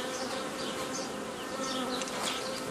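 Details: Many honey bees hum together as a beekeeper forms nucleus colonies from an earlier forager swarm, 15 May 2018; a dense, steady, even drone with layered overtones and no pauses throughout.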